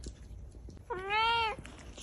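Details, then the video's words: Cat with a kitten utters a single arched meow, rising then easing down over about half a second, against a quiet room with faint ticking sounds. "Cat and cute kitten 😸 || Cat Meowing"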